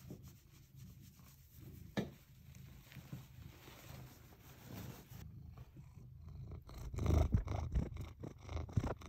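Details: A domestic cat purrs in the morning while face-planting a hydrangea in the bathroom: a continuous low, throbbing purr rising and falling slightly, with brief rustling and soft bumps growing louder near the end.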